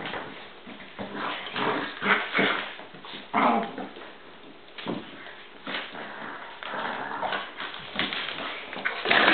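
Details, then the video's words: Dogs Bowser and Canela fighting inside a small room, giving scattered growls, whines and high yelping squeals at irregular intervals, the loudest yelps near the start and end. "Bowser and Canela Fighting"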